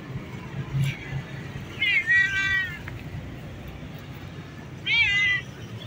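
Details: Domestic cat meowing twice, a drawn-out harmonic meow near two seconds and a shorter one near five seconds, each slightly wavering in pitch, over a low steady background hum.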